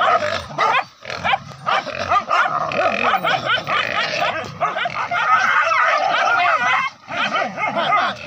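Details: Village dogs hunting wild boar in forest down to a river, pack of four: dense, overlapping high yelping barks and baying in rapid continuous bursts, several dogs at once.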